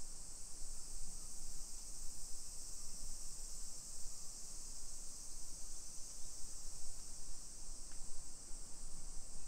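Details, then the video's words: Midday cicada chorus on 28 July 2021 in a modern hillside neighborhood of Nisshin near Nagoya, Japan: constant shrill buzzing held at one pitch behind strong low-pitched walking noise and rumble, with a brief tap near eight seconds. "Summer Cicadas Sounds"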